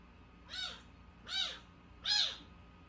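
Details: Unweaned kitten under one month old, discovered crying outside a home's gate, produces three evenly spaced, high-pitched arching mews roughly every 0.8 seconds, each rising then falling, against a quiet indoor hum.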